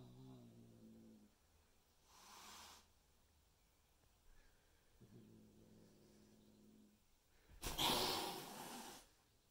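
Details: Adult cats meeting new Bengal kittens at home: low rumbling growls come twice, broken by breathy, explosive hisses, the loudest hiss near the end.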